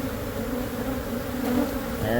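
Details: Massive honey bee colony living in the wall of a Catholic church building near a school in Monrovia, buzzing continuously as it is taken out; even, low droning hum that swells slightly toward the end.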